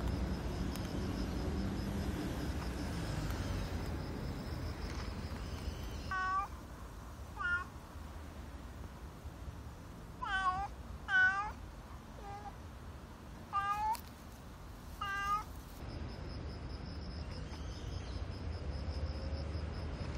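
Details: Black street cat Nero, emotionally expressive with a unique cry and swaying tail at mealtime, lets out a quick series of about nine short, chirpy meows, some paired in rapid bursts, amid a steady traffic-like hum.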